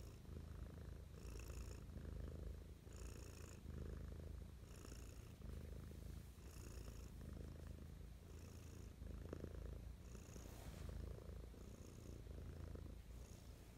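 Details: Affectionate morning purr from Mischa, a pet cat: low vibrating rumble swelling with each breath roughly every one and a half seconds, faint airy hiss on each cycle.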